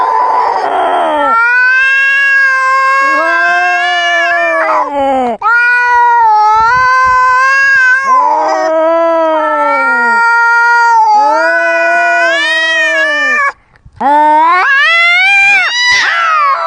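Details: Close-up cat fight: long, loud, wavering yowls from two cats overlapping, each drawn out for several seconds with rising and falling pitch, broken by short harsh hisses and one brief pause near the end.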